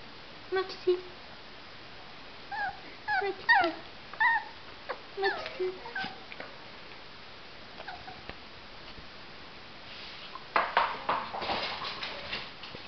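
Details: Caged Jack Russell Terrier puppies whimpering indoors: scattered short high whines and yelps in bursts, growing busier toward the end with louder rustling and overlapping cries.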